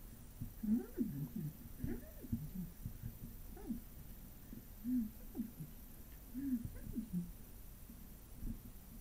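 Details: Two six-week-old Bengal kittens, Adele and Amazon, playing and fighting together indoors: soft, low squeaky mews and short growly chirps, scattered and irregular, with quiet breathing-like rustles between them.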